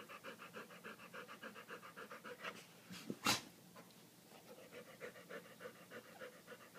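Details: Rhythmic, rapid breathy panting, roughly four to five huffs per second, from London, a dog playing happily inside with a rock he pulled from a creek; a single loud thump interrupts midway.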